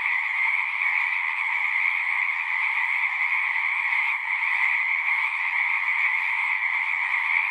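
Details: A chorus of singing frogs: many callers merge into one continuous, evenly loud trilling hum with high and mid-pitched layers, never pausing over seven and a half seconds, with a faint brief dip around the middle.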